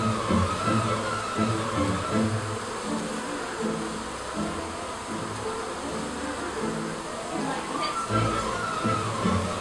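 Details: Honey bees leaving their hive in a garden to stretch their wings: a dense, low droning buzz of many insects. Overlapping hum tones rise and fall as individual bees pass close, over a steady whooshing background.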